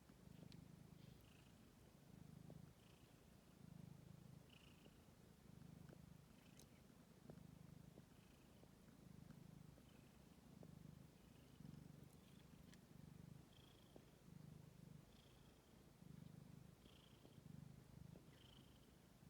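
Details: Ten-day-old stray kittens purring on 6 May 2022, a low rumble rising and falling in phrases roughly every second and a half, accompanied throughout by faint high-pitched squeaks and light clicks.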